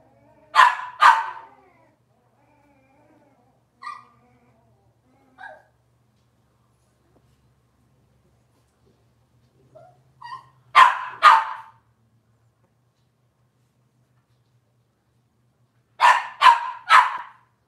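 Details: Cavalier King Charles Spaniel puppies from Robin's litter on an indoor kitchen-cam livestream. Three bursts of paired, high, sharp yapping barks, each separated by long quiet gaps, with a few soft squeaks in between over a faint low hum.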